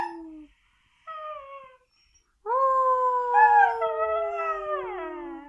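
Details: A female Siberian Husky howls, short falling notes followed by a long, sustained, wavering howl.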